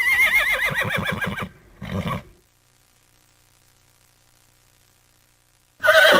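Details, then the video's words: Horse whinnying: a loud, quavering neigh with wavering harmonics for about a second and a half, a short second burst, then silence until another sharp whinny starts at the very end. "#horses sounds"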